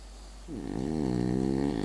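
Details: French bulldog asleep, snoring with a low rattling drone that starts sliding down in pitch, then holds a buzzy, fluttering tone for over a second; quiet indoor background.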